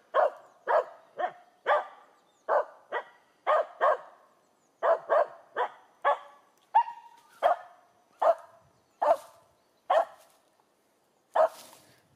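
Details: Finnish Spitz outside barking at a squirrel up a tree: a rapid, insistent run of about twenty sharp, ringing barks, several per second, easing toward the end.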